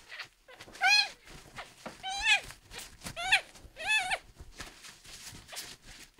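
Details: Miel, a young male red tabby and white kitten rescued at one day old and ill with dehydration, cries four times in quick succession, each meow bending up then down, with soft voices and rustling between.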